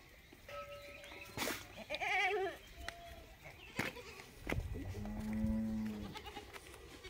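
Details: Goat calling in the morning at milking time, wanting to be milked: a wavering, tremulous bleat rises midway, then a steadier drawn-out low call near the end, with steady tones, clicks and handling noises around it.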